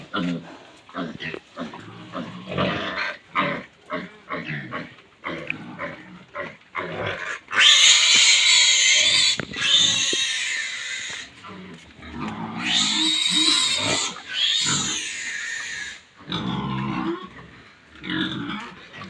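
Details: Feeding time on a pig farm: rapid series of short grunts and snorts builds into long, high, strident squeals, then eases back into irregular grunting, with clattering in the background.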